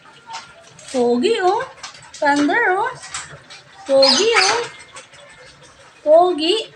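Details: Belgian Malinois in the morning giving four drawn-out, wavering whining moans, each about a second long, the pitch bending up and down like a sung vowel, separated by short pauses, with faint household clatter behind.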